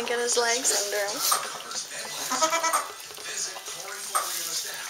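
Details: Saanen/Alpine baby goats just born on a small hobby farm in May 2012 make short, quavering bleats in bursts, nearly drowned by people chatting nearby.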